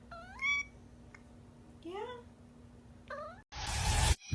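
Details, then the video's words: Cat uttering three short meows, each sliding up or down in pitch and spaced about a second apart, followed by a sudden loud burst of harsh noise. "Funny Cats and Kittens Meowing"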